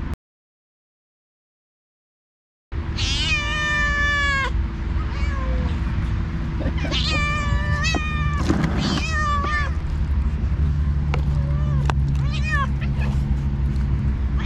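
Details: Two alpha stray cats, leaders of two rival cat groups on the cat island, fight by talking while the other cats eat. After a silent start, long harmonic meows and falling wails follow one another over a steady low rumble.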